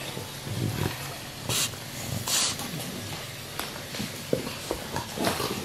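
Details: English Bulldogs aged about one year grunt low and snort in breathy bursts.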